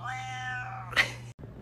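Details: Pet cat with a hoarse, raspy voice: one drawn-out, strained meow with a low steady buzz beneath, breaking into a rough burst at the end, followed by a short gap and faint background music.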